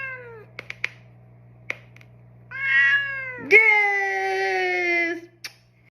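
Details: During a neck-and-paw massage indoors, a male pet cat meows repeatedly: a short falling mew, a few clicks, then a rising meow running straight into a long, strong, slowly descending wail lasting almost two seconds.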